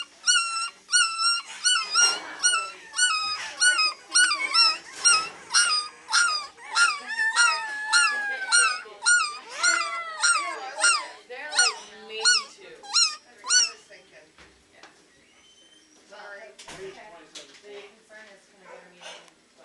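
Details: Shelter Beagle puppies aged three weeks at the Maryland SPCA baying away: a steady run of loud, high, quavering yelping howls roughly every half second for fourteen seconds, then quieter whimpers and human speech.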